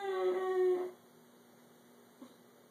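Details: Java, a 13-year-old Italian Greyhound, stares at his owner indoors and tries to talk, as he does every morning and night: one drawn-out, whiny, steady-pitched moan lasting under a second, then quiet room hum and a faint click.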